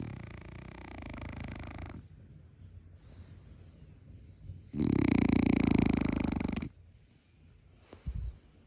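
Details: Da Fei, a plump pet French Bulldog, snoring in its sleep: long rasping snores with breathy, rattling noise, the loudest around the middle, separated by quieter breaths and a few short snorts.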